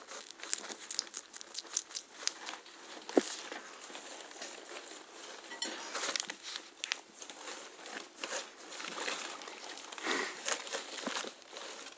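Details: Crinkling, rustling and soft clicks of vegetables and bedding being moved about indoors, with no clear animal calls.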